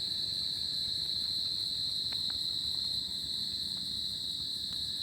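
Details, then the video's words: Crickets at night in tropical summer produce a constant high ringing trill, with scattered brief clicks around the middle and end and a soft rumbling ground noise. "Cricket Sound At Summer Night"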